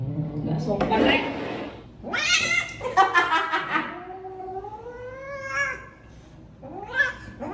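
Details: Angry odd-eyed pet cat, described as grown and old, yowling indoors: a woman speaks briefly, then drawn-out wailing cries bend up and down in pitch, a falling moan and a final sharp yowl.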